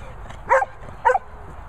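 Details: Dogs playing together, a beagle, a labrador, a poodle and a setter fooling around; two short, sharp barks about half a second apart over a steady low background hiss.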